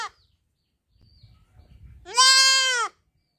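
A kid goat lets out a single loud, nasal bleat, high and quavering with a slight arch in pitch. Faint shuffling and low rustling come before it.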